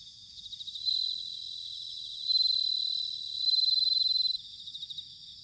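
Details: Bell cricket song in autumn, Sanuki, Chiba, Japan, recorded with a field recorder: three loud, high ringing trills, each a second or more long and pulsed, rise out of a continuous chorus of other insects.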